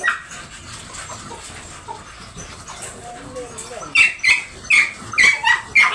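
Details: Doberman dog during a stud service at Bunuan, Dagupan City, Pangasinan; after a few seconds of noisy background, a run of sharp high whining yelps repeats about every half second.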